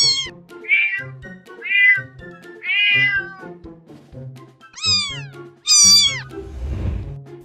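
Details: Domestic cat giving a run of varied meows, short chirpy ones then louder descending cries, with background music throughout and a brief rustling burst near the end.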